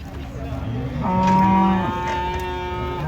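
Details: A cow being unloaded from a truck at a market gives one loud, sustained low moo with strong harmonics, gradually fading, with faint voices behind.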